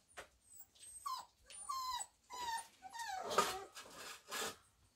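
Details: Four-week-old Samoyed puppies of a Christmas litter, making thin high whining squeals that slide downward, several in a row, with some soft rustling between them.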